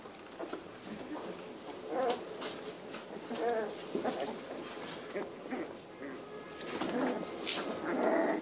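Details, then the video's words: A litter of three-week-old Cane Corso puppies, heard as soft whines, grunts and short yelps scattered through the clip, rising louder toward the end, with faint rustling in the background. "A Litter Cane Corso puppies - 3 weeks old"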